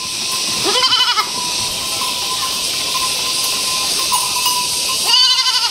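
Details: Khari goats at a grazing place: a wavering, harmonic bleat near one second and a second shorter bleat near five seconds, over a constant high hiss and a steady tone.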